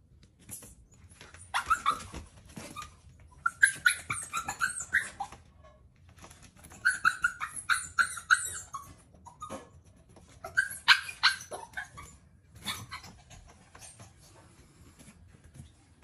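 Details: A female puppy named BoJolie, jumping around the table to beg for breakfast, utters three clustered bursts of high-pitched yips and whiny barks, each lasting a couple of seconds, separated by short pauses with faint indoor sounds.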